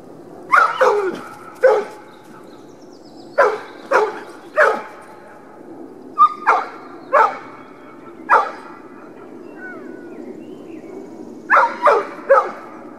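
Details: A dog barks at a dog park, giving sharp clustered barks in groups of two or three with short gaps, some ending in yipping whines, over a soft steady background hum.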